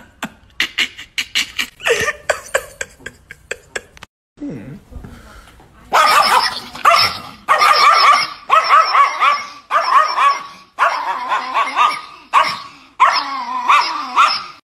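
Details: Chihuahua barking: a fast volley of short, sharp yaps, a brief lull, then a steady run of louder barks in clusters about once a second.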